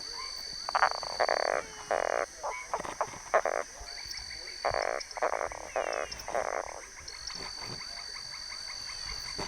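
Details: A Boana semilineata treefrog gives short, harsh croaking notes in irregular bursts over a steady high insect whine.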